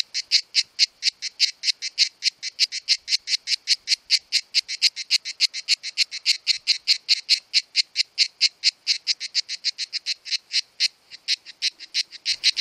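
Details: Two male cicadas sing in July, their summer mating season, in rapid, evenly spaced rasping pulses, about four each second, made by organs called timbals.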